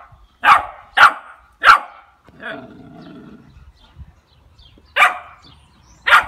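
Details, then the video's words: Playing Labrador Retriever puppies aged two and a half months, Seville: three sharp, high yaps in quick succession, a softer whining growl in the pause, then two more isolated barks after a quiet gap. "Cachorros de labrador de 2,5 meses jugando"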